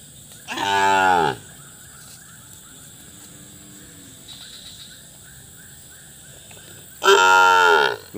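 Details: Cattle kept in a flood-muddied shed, where a cow gave birth the previous day; two loud, full, harmonic moos, each under a second long, separated by about six seconds of quiet with faint insect-like chirping.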